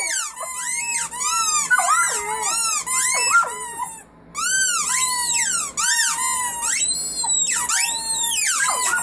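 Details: Puppies of one family howling: high, squeaky arched howls repeated in quick succession, several pups overlapping, a short silent gap before the chorus picks up again.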